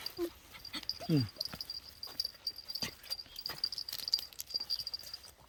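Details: A rain-soaked puppy reunited with its former family a month after being given away gives one quick downward-sliding whimper early on, amid soft rustling and nearby human talk.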